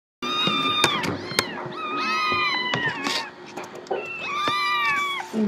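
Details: Several desperate kittens meowing: high, thin, wavering meows that rise then fall, overlapping in quick succession with short gaps, plus light clicks and handling noise.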